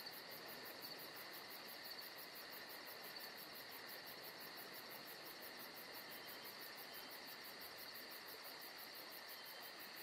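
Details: Crickets calling on a peaceful summer night in Georgia, a continuous high, steady trill layered with a rapid, evenly pulsing shrill band above it, all over a soft constant hiss.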